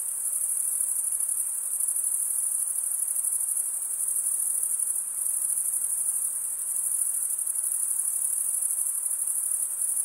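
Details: Unbroken high-pitched cricket chorus from males stridulating with serrated wing veins; shrill, even and slightly pulsing, with a gentle hiss lower down and no other sounds.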